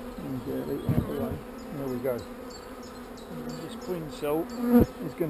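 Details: Honey bees, described as not so angry, during a hive inspection while frames and queen cells are moved. Their buzzing hum is steady and low, with passing bees swooping up and down in pitch. Faint clicks of handling and some background music are also heard.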